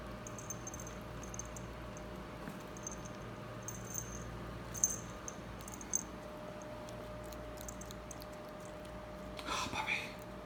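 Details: A female pet ferret, playing and digging in dirt, gives a sudden short, breathy sneeze near the end, after quiet scratchy clicking and rustling from her digging.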